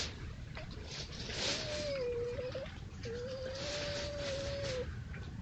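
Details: Red fox at night, caught on a trail camera at a woodland edge among fields in East Sussex, amid foxes playing or fighting; two long, slightly wavering mid-pitched whining cries, the second longer, over a steady background hiss.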